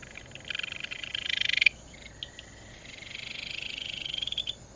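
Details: Ryukyu Kajika frog, the most common frog of Amami, with one loud, rapid, buzzy pulsed trill of about a second, then a softer, drawn-out pulsed trill that climbs gently in pitch. A faint low hum runs beneath.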